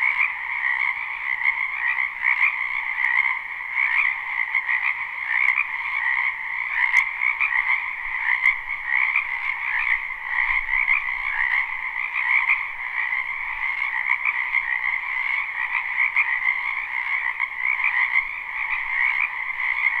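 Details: Many frogs croaking in a spring wetland behind a house, recorded live without looping; a dense, unbroken chorus of overlapping trills, one band higher-pitched and one lower, steady throughout with slight pulsing and a few faint clicks.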